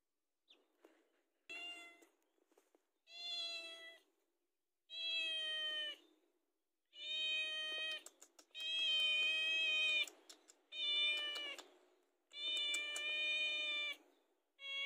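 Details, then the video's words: Pet cat meowing for its food, about eight drawn-out, steady, harmonic meows in quick succession, growing longer and louder toward the end, with brief clicks between some calls. "SUARA KUCING"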